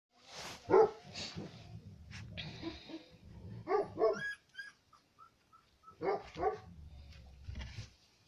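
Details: Female Central Asian Shepherd puppy number four, from aboriginal stock brought from Tajikistan flocks, during a first character test: a few loud barks in short bursts with pauses, plus a brief high whistled tone and low background rumble.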